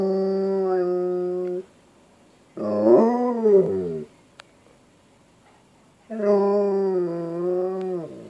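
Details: A Siberian Husky howls indoors at 5:20 PM on 12/13/2015 in long, steady, tuneful notes broken by a wavering, yodelling middle phrase.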